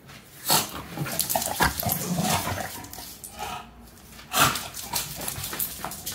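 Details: Meatloaf, an energetic male British bulldog, makes close, loud snuffling and snorting sounds in a small room. Irregular rough bursts of breath come with a few low grunting tones, and one strong snort near the end.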